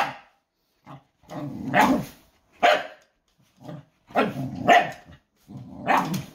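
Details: A dog named Noodles barking in a series of loud, rough barks, some short and some drawn out with a growly edge, separated by brief silences, with one to two barks each second during bursts.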